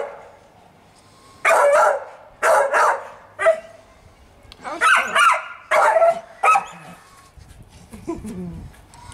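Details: Pet Staffordshire Bull Terrier named Fudge at play in the sunshine, 26 March 2017, Mother's Day, barking in uneven bursts of single and doubled rough barks, then a quieter whine-like trailing sound.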